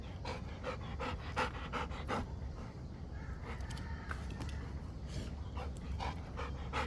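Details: Rottweiler breathing hard between ball catches, quick repeated panting strokes roughly every third of a second over low-frequency background noise, with short knocking sounds.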